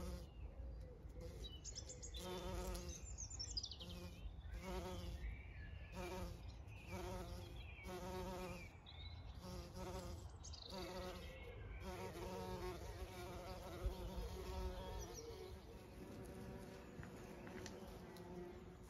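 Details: Bees of many sorts working blooming privet, bluebells and cotoneaster on a farm in County Kilkenny, Ireland; a rich buzzing with pulsing, rising and falling wingbeats as insects come and go, while birdsong twitters in the background.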